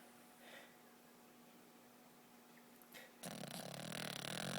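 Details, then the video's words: A sleeping Boston Terrier, dreaming while it snores indoors; soft breaths and a faint snuffle first, then from about three seconds a loud, rough, buzzing snore that keeps on steadily. "Boston Terrier snoring and dreaming!"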